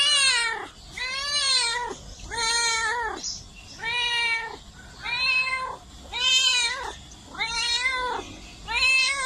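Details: Pet cat calling with a regular string of arched meows, about seven in nine seconds, each swelling and fading smoothly, rich in high overtones, against faint background hiss.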